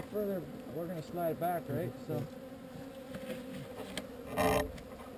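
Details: Swarming honey bees during relocation from an unwanted site, several buzzing loudly as they fly close by in wavering, swooping arcs of pitch over a quieter background hum, with a brief rustling noise near the end.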